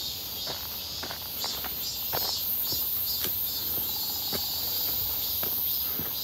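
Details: A walk near Seonbawi on 1 August 2023, clear and hot in midsummer, with many cicadas: a sustained high, sizzling drone with gentle pulses, and uneven footsteps crunching close by.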